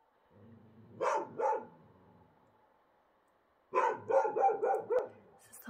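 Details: Wild dogs in Morocco calling at night under a bright moon, described as regular vocal exchanges; two sharp barks, a pause of over two seconds, then a quick run of about five hoarse barks, with a faint steady hum behind.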